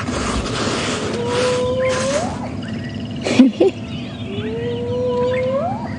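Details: Spotted hyena giving its whooping contact call on a morning safari drive at Djuma Game Reserve, 11 January 2016, with cubs nearby. Two long whoops climb from a steady tone to a sharply rising high finish, broken by brief thumps and background music.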